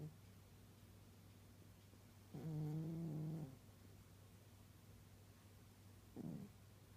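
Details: Sleeping old cat snores like an old man: one long, deep, buzzy snore of about a second, then a short faint one near the end, with a constant low background hum.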